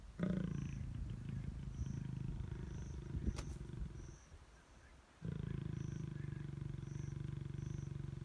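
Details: Lions mating in long grass at Klein's Camp, Tanzania, April 2019, the male biting the female's neck; low rumbling growls fill the first seconds, a quiet gap follows, then a steady deep throaty rumble resumes.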